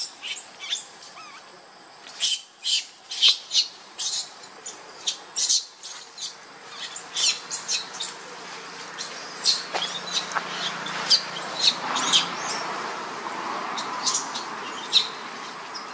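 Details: Baby monkey Lucie, hungry and crying to its mother for milk: a fast run of shrill, high-pitched squeals, each sweeping sharply downward, repeated about every half second with no break for sixteen seconds.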